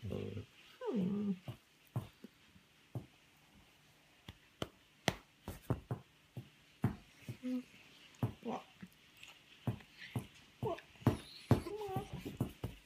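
A Weimaraner gives low, drawn-out moaning whines, with a person's voice and sharp knocks in between.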